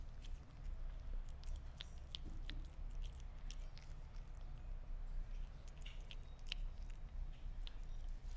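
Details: Sphynx cat biting and chewing meat, producing irregular sticky clicks and small crunches throughout, set against a low continuous indoor hum.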